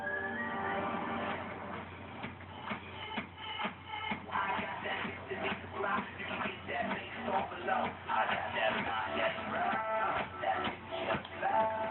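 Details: Muffled electronic music with a pulsing beat plays from start to end, with no animal sound heard.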